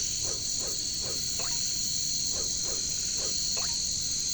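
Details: Jungle katydids, known locally as caricangkas, keep up an unbroken piercing high buzz, with short downward-sliding croaking notes repeated irregularly beneath it.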